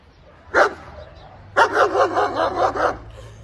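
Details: German Shepherd Dog kept as a guard dog: one loud bark, a pause, then a fast run of about six deep, harsh barks close together.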